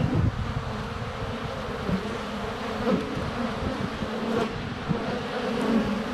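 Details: Honey bees swirling close around a hive entrance on a sunny February day, filmed at under a foot with a GoPro Hero 7 Black; thick, steady low-pitched buzzing, swelling briefly as individual bees zip past.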